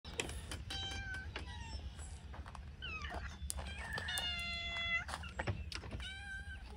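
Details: Hungry cats, ready to eat, meow insistently with several overlapping harmonic, drawn-out cries, some level and some rising and falling, among sharp clicks, thumps and a low indoor rumble.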